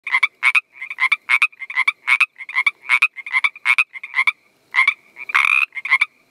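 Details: A male Northern Pacific tree frog gives its mating call, rapid, raspy two-part croaks repeated several times a second.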